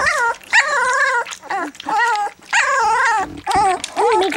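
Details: Black English Labrador Retriever puppies, three weeks old, enjoy their first goat's milk while letting out long wavering whines and squeals in quick succession, a few soft human words in between.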